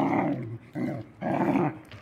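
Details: Husky seeing a hunting dog puppy for the first time, growling in three rough, low rumbling bursts about half a second each, separated by short pauses, indoors.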